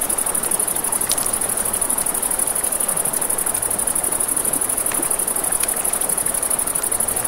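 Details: Crickets at night by a river, a steady high pulsed trill running without pause, over a broad rushing wash of river water and scattered sharp crackles from a campfire.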